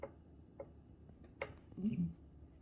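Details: Golden retriever. Soft clicking and tapping come first, then a Golden retriever lets out a short, low, rumbling grunt. The grunt is a happy, contented sound made after receiving a treat.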